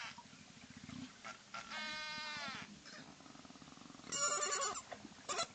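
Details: Cook Inlet beluga whales in Alaska, an endangered population nicknamed sea canaries, vocalize underwater: a mix of calls, whistles and buzzes, with rapid pulsed clicks, a wavering harmonic squeal and bursts of harsh buzzing.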